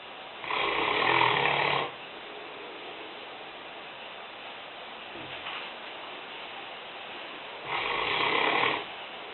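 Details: Lena, a five-year-old, 150-pound Newfoundland dog, snoring while asleep in a kitchen: two long raspy, breathy snores about six seconds apart, with quiet room hush between them.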